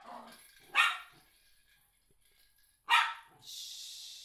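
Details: Miniature schnauzer, eight months old, excited by a particular ball he loves or hates, gives two loud, rough barks about two seconds apart over a steady background hiss.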